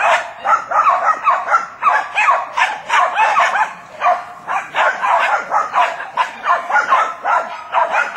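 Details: Jack Russell Terriers, a pack of several dogs working on wild boar: dense, rapid yapping barks in irregular bursts, roughly two to three per second, throughout.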